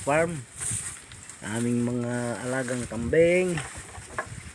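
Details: Goat bleating where a newborn kid has just arrived: a long, steady, quavering bleat in the middle, with shorter rising bleats before and after it and faint rustling around them.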